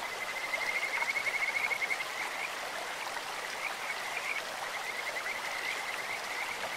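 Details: Kajika frogs croak in a clear stream with a bird-like voice, opening with a rapid pulsed trill, then scattered shorter high trills over the steady noise of running water.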